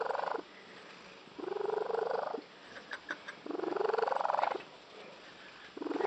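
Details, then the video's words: Pet cat, female, whose odd purr is compared to a tree frog; grating, vibrating bursts lasting about a second, rising a little in pitch, alternating with near-silent pauses, with a few soft clicks in one gap. "the cat with the unusual purr"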